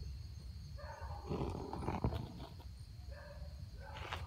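A golden jackal gives wavering, harmonic yelping cries over a steady low rumble.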